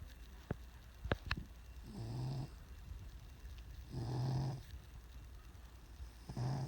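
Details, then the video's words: Sleeping cat snoring indoors, soft breathy rasps around two, four and six seconds, with a few sharp clicks early on in a quiet room. "Snoring cat"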